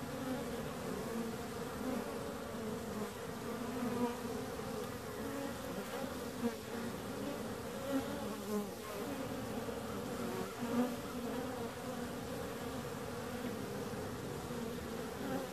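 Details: Bees humming in a constant, layered drone, the buzz of many wings overlapping, with small rising and falling tones as single bees fly close.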